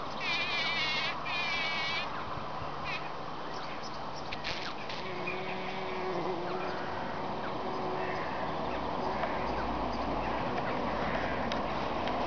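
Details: Bees at work packing in pollen: a thick, continuous drone, with a brief wavering high whine near the start and a lower steady hum surfacing midway through.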